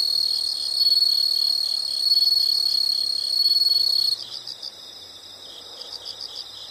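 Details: Insects calling in a nature recording: a loud, continuous high-pitched trill with rapid pulsing chirps layered over it for four seconds, then only quieter, evenly spaced pulsed chirps continuing to the end.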